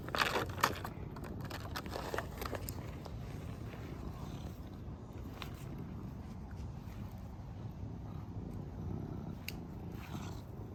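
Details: A serval playing outdoors on a walk gives a low, steady rumbling purr, with a few sharp clicks and rustles early on.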